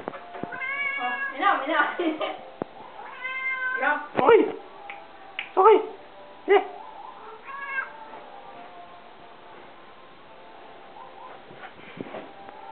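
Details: Half-Siamese cat indoors giving a run of meows: drawn-out tonal mews with rising and falling pitch, several in quick succession early on, then short sharp calls, fading to quiet near the end.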